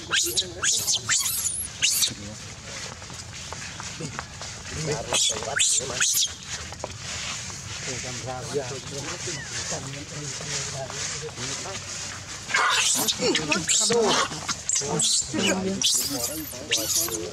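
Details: Baby monkey named Rainbow crying loudly: shrill, very high sweeping screams come in bursts at the start, middle and end, with human voices talking in between.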